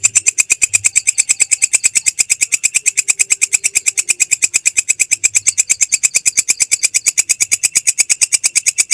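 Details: Belalang kecek grasshopper, recorded as masteran to teach songbirds. A clean, continuous stream of quick, evenly spaced, high buzzy ticks holds steady at the same pace throughout.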